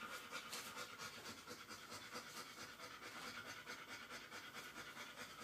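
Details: Newborn Airedale Terrier pup, an hour old, napping as its mother nurses a littermate. Quick rhythmic panting breaths run continuously at roughly two per second, with a soft hissing texture.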